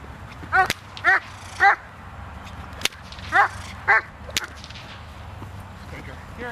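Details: Doberman Pinscher named Zita during protection work on 24 November 2009: five loud, sharp barks come in a burst of three and then a pair, mixed with cracking whip snaps.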